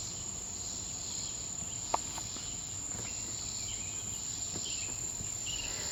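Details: A swamp cicada sings a steady, very high buzzing drone on 20 July 2026, possibly two singing, with faint clicks and one sharp pop in the background.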